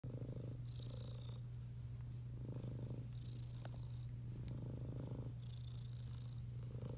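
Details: Domestic Shorthair cat up for adoption, recorded 19 June 2021 in the afternoon; a steady, deep continuous purr runs throughout, with soft breathy rustles rising and fading every second or two.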